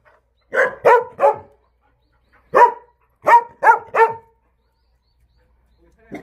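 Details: Jindo dog at the breeding facility of the Jindo Dog Theme Park in Jindo County. It gives sharp, clipped barks in quick bursts of three, then one, then three, with short silent gaps between the bursts and a final bark starting at the end.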